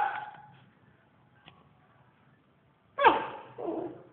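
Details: SnowBall the dog howling indoors: a steady tonal note fades out over the first half second, then after a quiet pause a loud, harsh cry bursts in and slides downward, followed by a lower wavering tail.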